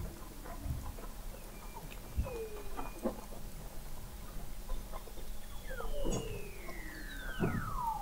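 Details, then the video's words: Beneath the sea ice in McMurdo Sound, Antarctica, Weddell seals recorded in November 2017 produce several gliding whistles that sweep steeply downward, short chirps and low knocks over a quiet underwater background. "Song of the Antarctic Weddell Seal"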